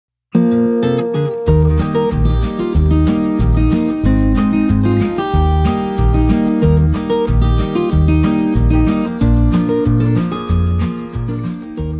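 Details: Strummed acoustic guitar music plays steadily throughout with a regular plucked rhythm; no animal voice can be picked out.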